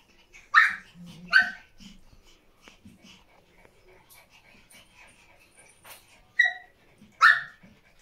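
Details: Pomeranian female Bambi lying with her puppies in the morning, deeply relaxed; sharp, high yelping barks come in two pairs, each pair a quick double yip about a second apart, with faint rustling and soft background noise between them.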